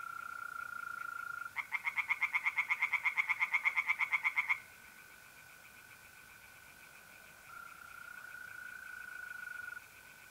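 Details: Singing tree frogs in a pond at night, mid-April, north-east Italy. A three-second run of quick, regular rasping pulses, about three per second, rises above the constant shrill trilling of mole crickets, which continues alone afterward.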